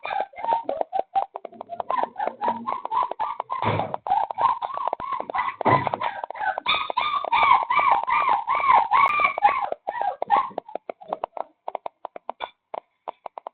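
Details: A stray puppy rescued in the middle of the night in Dauin, Philippines, whimpers on and on: dense, quick pulses of high, whiny crying that swell and bend in pitch, peaking midway before thinning into short scattered yelps.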